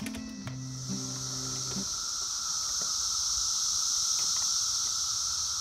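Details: A swarm of Brood X periodical cicadas, emerged after 17 years underground, makes an ear-splittingly loud, unbroken droning hiss outdoors that swells slightly.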